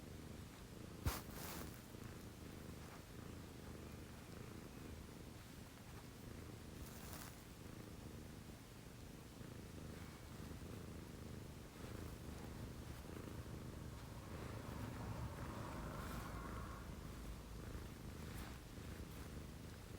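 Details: Early-morning purring at 6 a.m. from a pet cat living with a female Scottish Fold and a female Munchkin: a continuous deep, buzzing rumble that swells slightly near the end, with an isolated click and a few soft rustles.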